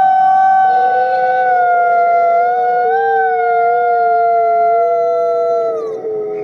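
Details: Nikai, a captive-born gray wolf and ambassador wolf at the Wolf Conservation Center in South Salem, New York, gives a long sustained howl, holding a steady tone with a slight lift near three seconds, then sliding down and fading at the end.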